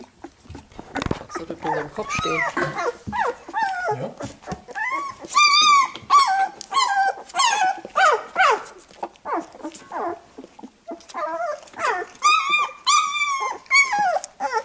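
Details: Labrador Retriever puppies squealing while their mother cleans them after nursing; many overlapping high, arched whines and yelps in quick irregular bursts, some rising then falling, with soft rustling between calls.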